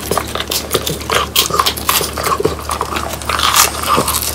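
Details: Three French Bulldogs, Pang, Kun and Ppo, crunch on whole quail that were hand-prepared and dried until crisp, the bones cracking loudly; sharp, dense crackling bites and snaps come in quick irregular bursts throughout.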